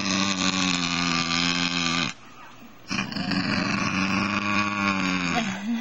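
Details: A male Basenji gives long, wavering, yodel-like wails with a rich harmonic tone, protesting as its owner tries to pick a flea off its body.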